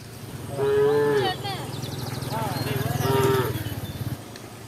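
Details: Tame cows of Embooh village roam about; one lows twice, a short strained moo followed by a longer wavering one with a pulsing rasp, low rumble beneath.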